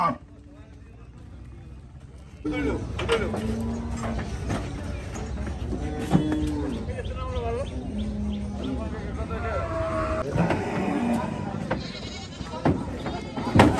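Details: Cattle unloading at Gabtoli cattle market in Bangladesh; several low, short moos recur amid constant market noise, clatter and background voices.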